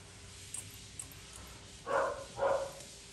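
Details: Poodle mix dog indoors during grooming gives two short, sharp barks in quick succession near the end, after faint clicks and a quiet room hum.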